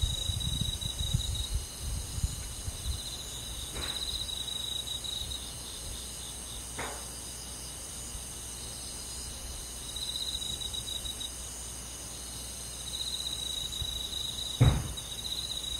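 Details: Summer-night rural forest insects led by crickets: unbroken high trilling chorus with fine rapid pulses, steady throughout, punctuated by a few soft thumps and clicks and a low background hum.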